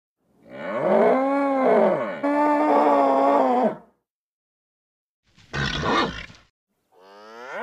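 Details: Nervous bull bellowing: a long, loud, harmonic call of about three and a half seconds with a slight pitch arch, followed after a pause by a short harsh burst and the start of another tonal call.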